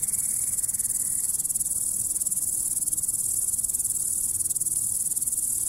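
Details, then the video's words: A grasshopper chirps in a continuous, rapid, thin high trill, evenly pulsed and unbroken, over a faint low hum. "The sounds of the grasshopper | How it chirps"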